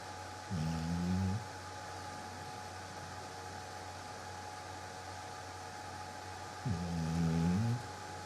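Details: Luna, a pet Labrador Retriever, snoring while asleep indoors: two long, low, droning rumbles about six seconds apart, each lasting roughly a second, with a steady mechanical hum underneath.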